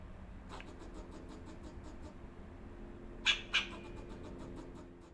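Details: January 2024 squirrel, filmed on a BMPCC 6K, lets out a quick pair of harsh, abrupt chucks midway after a near-silent stretch, backed by a low steady hum and faint clicking.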